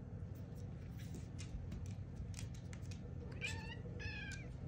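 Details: A female domestic cat reacts as her owner talks to her like a human, giving two short, bright meows in quick succession near the end over a steady low indoor rumble.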